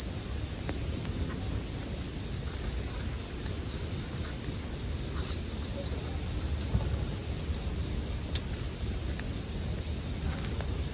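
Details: Bell crickets in a sleep ambience track paired with a crackling campfire: a steady, unbroken high-pitched ringing holds throughout, with soft scattered pops of burning wood and a low murmur underneath.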